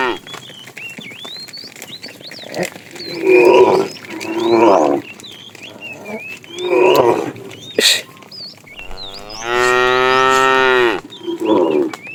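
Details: A fat cow calls to the female while a tame herd is herded in the afternoon. Several short, muffled lowing bursts lead to one full, rich moo of about two seconds near the end. Birds chirp steadily in the background.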